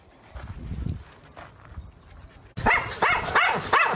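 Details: Dog barking: after a quiet, rumbling first half, a run of five sharp, evenly spaced barks starts abruptly and fills the rest of the stretch.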